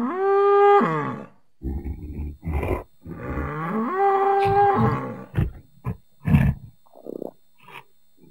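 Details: Bull in nature: a loud tonal moo opens, then a series of short gruff grunts, another long rising-then-steady moo, and a scatter of brief snorts and huffs.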